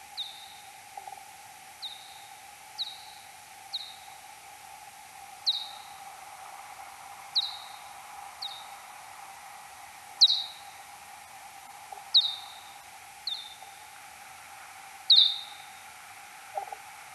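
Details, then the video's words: Kuhl's pipistrelle in search phase, echolocation time-expanded x10, 6 July 2022 at 03:59: a run of about a dozen brief falling chirps ending in flat tails, roughly one every second or so with uneven spacing, over continuous background hum. "Pipistrellus kuhlii 2022-07-06 0359 (search-phase calls)"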